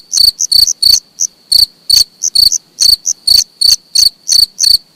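A cricket chirps close by in quick, high, ringing pulses, some single and some doubled.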